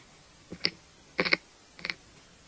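A longhorn beetle feeds on cabbage, its chewing coming through as brief clusters of sharp, crackly clicks. Three bursts come about half a second to a second apart, with near silence between them.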